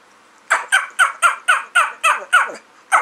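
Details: A shy rescued Chiweenie, about 4 years old and 8 lb, gives a rapid run of eight short yelping barks, about four a second, each dropping in pitch, a gobbling turkey-like bark.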